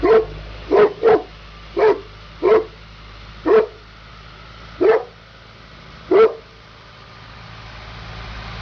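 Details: Sofia DSV, a working Neapolitan Mastiff, delivers eight deep, forceful barks, quick at first and then slowing to one every second or so, followed by a quiet stretch of faint background hiss.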